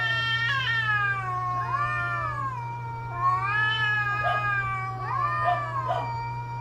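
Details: Cats caterwauling during mating season: several overlapping, wavering wails that rise and fall in pitch, with sudden sharper yowls near four and five seconds, over a steady low electrical hum.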